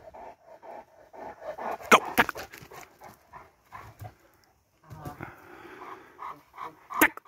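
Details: Lenny Mclean, a 19-month-old Presa Canario, panting in quick irregular breaths, punctuated by a few sharp knocks and bursts of handling noise.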